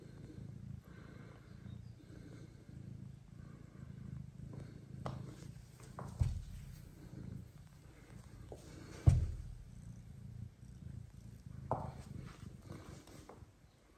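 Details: Kira the mother cat, nursing her own kitten while adopted blind kittens are introduced, keeps up a continuous deep purr, an even low drone with occasional clicks and bumps of handling.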